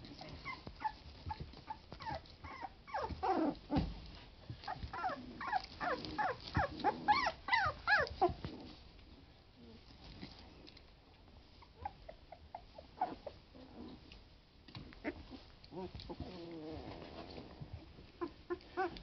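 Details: Twenty-day-old Boston Lab puppies at play, giving rapid bursts of little growls mixed with squeaky whimpers, densest in the first half, then quieter wavering growls amid rustling and scuffling.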